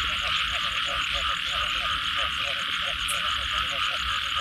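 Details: After rainfall, a frog chorus of paired, throaty croaks in quick succession rises over a steady, loud high-pitched drone and a faint rapid ticking trill.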